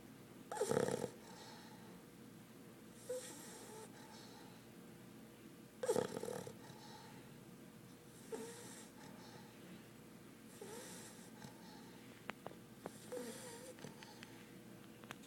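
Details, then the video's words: A 4-month-old English Bulldog puppy, fast asleep, snores in raspy, breathy bursts roughly every two and a half seconds. "Snoring English Bulldog puppy"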